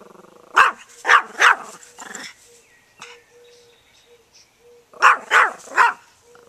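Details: Dog barking at a lawnmower: two volleys of sharp, harsh barks, about four in quick succession, then a lull and three more, with a faint steady hum running through the gaps.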